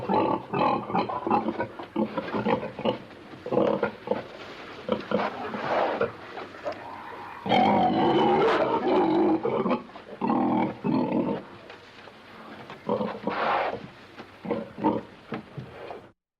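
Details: Pig grunting in a pen: rapid, rough, low grunts in uneven clusters, with a few longer, louder, harsher bursts near the middle and toward the end.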